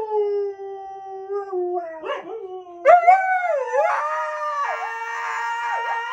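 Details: Siberian Husky, a pet told "no", answering with long drawn-out howls: a steady mid-pitched tone that dips, then breaks into wavering, rising and falling yodel-like notes rich in harmonics.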